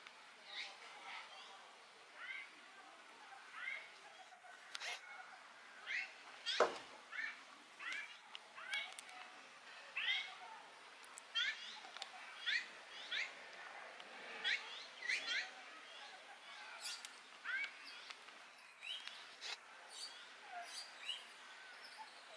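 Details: A meerkat moving about, burrowing and standing up gives short, high chirps and squeaks in quick, irregular bursts.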